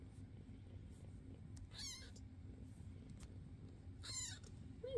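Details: Domestic foster cats Basil, Oodles and Zimothy at home, filmed May 22, 2024: two brief, high-pitched meows spaced about two seconds apart, with low room hum and a faint sound at the very end.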